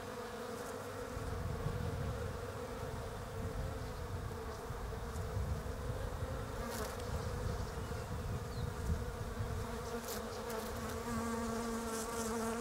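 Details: European honey bees forage on Desert Ash (Fraxinus oxycarpa) flowers on a bare-branched tree in autumn down under. Their dense, steady, droning hum of many wingbeats runs throughout, with heavy low rumble, probably wind, underneath.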